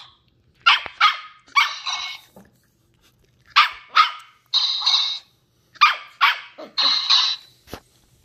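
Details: Ollie, a 10-week-old female Shetland Sheepdog puppy, barks while curiously discovering new things indoors. Sharp, high-pitched yapping barks come in quick bursts of two or three, with short pauses between, in a quiet room.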